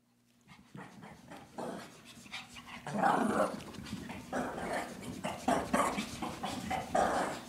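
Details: Lacey, a three-year-old female Shih Tzu, still full of energy after a long neighborhood walk and running around nuttily; rough breathy pants and scuffling bursts come in uneven clusters, growing louder after the first few seconds.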